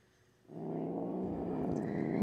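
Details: Upset house cat growling while her claws are trimmed; silence, then a low continuous growl rising in loudness toward the end.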